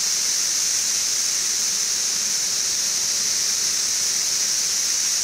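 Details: Periodical cicadas of the 17-year Brood XIV in Frankfort, Kentucky, June 2008, two weeks after mass emergence. A dense, even, high buzzing chorus fills the air without pause, with an air conditioner humming some 20 feet away.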